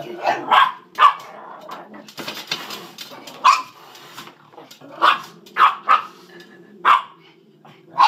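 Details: Sausage and Weenie, two pet dachshunds egged on to chase the cat, give scattered sharp barks at irregular intervals over a background of rustling and a woman's voice.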